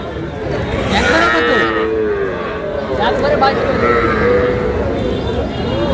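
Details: Sahiwal calves, small bull and heifer calves, at a cattle sale where a Shariatpur farmer buys stock on 11 August; several overlapping harmonic moos rise and fall against steady crowd chatter and voices.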